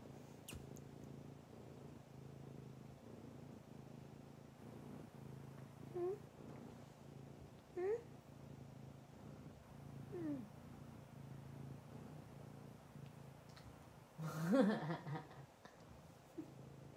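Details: Fawn Abyssinian cat giving a few short, faint meows that rise then fall, spaced a couple of seconds apart, ending in a louder wavering meow, over a low steady purr-like hum.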